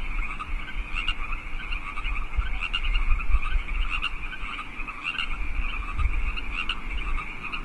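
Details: A steady chorus of wild frogs in California Park at 8 PM on 15 March 2014: rapid, overlapping pulsed croaks with a low rumble beneath.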